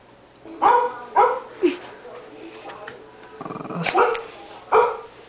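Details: A 13-pound male Shih Tzu barks at the computer in clipped, yappy, fairly high bursts, three close together, then more after a pause, with a person speaking faintly between barks.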